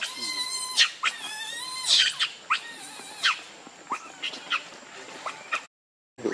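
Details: Hungry baby monkey Leo crying to its mother for milk, giving a string of high, quavering squeals with rich overtones, some rising and falling, repeated roughly every half second before a short break and a final cry.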